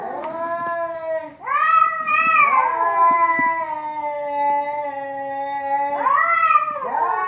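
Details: Two domestic cats in a heated standoff, trading long drawn-out harmonic yowls that rise, waver and slowly fall, with a fresh surge of howling near the end and a few faint clicks in the background.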